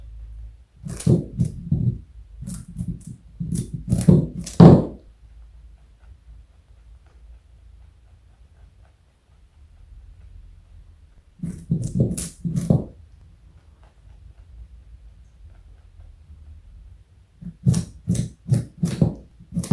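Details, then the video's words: Joey the pet bunny, 4.6 kg and over 60 cm long, munches carrot indoors in three bursts of dry, snapping crunches, each a few seconds long, divided by pauses of quiet room hum. "Joey is Eating Carrot and Yawning. Cute Bunny."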